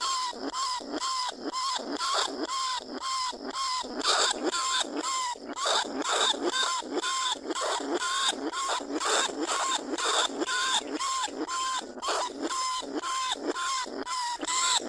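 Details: Repeated lure calls of a caged lesser bandicoot rat recorded live at Na Lao, Nong Khu Phai, calling other rats out of their burrows. Bright, harmonic squeals come about twice a second and continue without a break for the whole stretch.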